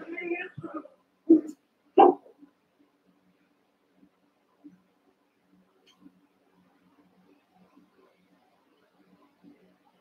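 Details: Cavalier King Charles Spaniel puppies, eight together indoors in a puppy pen, wrestling and playing. Three sharp, high yapping barks burst out within the first two seconds, then only faint soft thumps and small noises follow in a quiet room.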